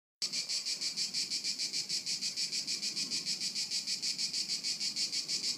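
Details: Crickets at Haut-de-Cagnes in 2013, a steady high-pitched chorus of rhythmic pulses repeating about three times per second, even and unbroken, with a faint low rumble beneath.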